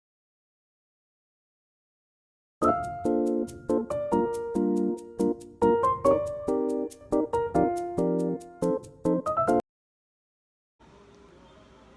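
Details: Bright keyboard music with quick, repeated piano-like notes plays for about seven seconds, then stops; after a short silence only a faint, steady hiss is heard.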